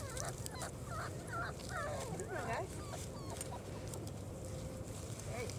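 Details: Litter of four-week-old German Shorthaired Pointer puppies on their first time outside, giving many overlapping high squeaky whines and yelps that rise and fall in quick succession, with soft outdoor background noise.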